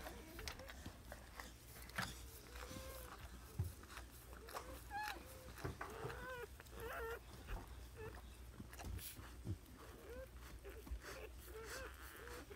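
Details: Household dog in the middle of whelping her puppies; thin, repeated squeaking cries with bending pitch come every second or so through the whole stretch, over rustling, soft clicks and a constant low hum.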